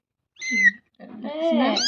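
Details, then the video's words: Kitten calling loudly: a short steady mew, then a longer, rising harmonic meow that swells in strength. A woman speaks softly nearby. "Baby Cat"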